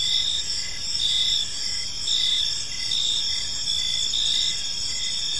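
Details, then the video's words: Evening park crickets chirping together, bright high pulses repeating about once a second above continuous ringing trills, with a soft low rumble underneath. "Park Serenade: Cricket Sounds in a Peaceful Park | Evening Ambience"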